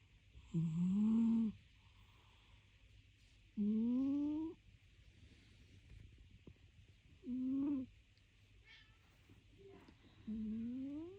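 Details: Sleeping cat snoring: four drawn-out, whistly breaths, each rising slightly in pitch and lasting about a second, spaced roughly three seconds apart, with faint hiss and quiet background between them.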